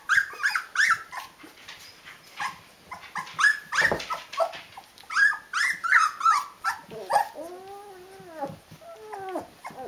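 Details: Nineteen-day-old Rhodesian Ridgeback puppies, a litter together, giving rapid overlapping whimpers, then drawn-out arching whines near the end, amid soft shuffling.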